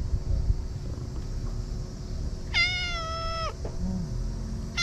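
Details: Stray cat at a fishing port in Japan at dusk, asking for affection: one long, steady, drawn-out meow lasting about a second, over low rumbling background noise.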